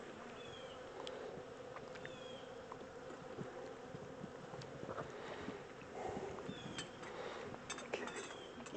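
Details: Honey bee swarm, the second one caught, being moved from a small temporary box into a bigger hive: a steady droning hum of many bees, with scattered knocks and clicks, faint high chirping streaks and brief human voices.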